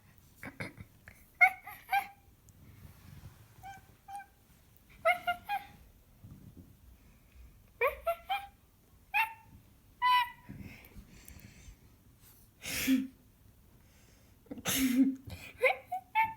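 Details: Pet cat producing odd chirping noises: scattered short chirps and brief trills spread over several seconds, interrupted by a couple of loud breathy bursts and faint indoor rustling.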